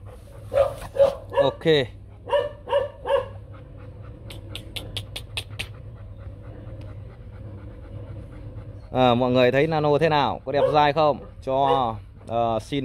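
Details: Nano Gervi, a young male Rottweiler stud dog bred at the Gervi kennel, son of the imported male Bruno and Melsee Gervi, gives a run of short, sharp barks in the first three seconds over a steady low hum, followed by loud human speech.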